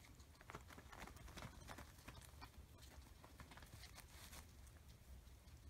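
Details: Oreo and Buttercup, a pair of guinea pigs, bite into a large cucumber; rapid crisp crunches in quick clusters, strongest in the first second and a half, above a faint low hum.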